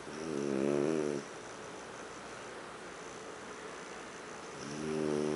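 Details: Sleeping French bulldog Huck snoring on the living-room sofa, two rattling harmonic snores a few seconds apart, the first long and strong, the second beginning at the end, with soft background hiss between.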